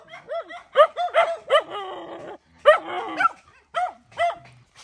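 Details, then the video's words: Mother dog fighting to defend her puppies, giving quick harmonic yips and barks, several in a row, then a rough growling snarl, followed by more clipped barks. "Poor Dog Fighting Protect Babies"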